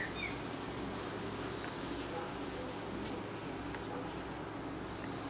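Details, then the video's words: Honey bees fan at the hive entrance in the evening, producing a dense, even buzzing hum with several steady low tones and a faint thin whistle in the background. "Bees fanning in the evening"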